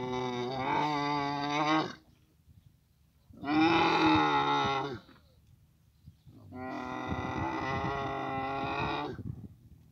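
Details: Three separate deep, gurgling bellows, each around two seconds long with quiet gaps between, from camels meeting in Abu Dhabi during the mating season.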